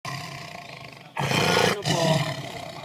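A lion gives two deep, rough roaring bursts, the second broken off by a brief pause.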